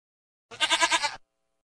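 A goat gives one short, nasal bleat lasting under a second, wavering in five or six quick pulses. Nothing else is heard.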